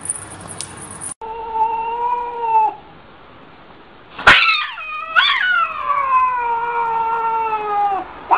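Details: Domestic cat from a compilation of funny cats. A short high tone is followed by a long, steady, nasal meow. After a sharp click come two rising-then-falling wails that trail off slowly.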